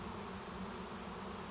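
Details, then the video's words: Honey bees in a swarm landing at a backyard swarm trap; short stretch of dense, even low hum with a faint steady pitch band throughout. "Swarm of honey bees finds new home"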